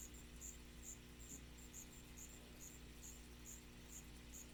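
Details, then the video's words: Striped ground cricket calling with faint, sharp high chirps spaced a little under half a second apart, set against a low steady rumble. "Allonemobius fasciatus - Chirping Sounds"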